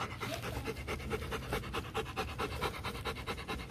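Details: Rottweiler from the Gervi breeding kennel in Vietnam, one of the champion pair Bruno and Melsee, panting steadily in quick, breathy rhythmic puffs, roughly two per second, with faint music in the background.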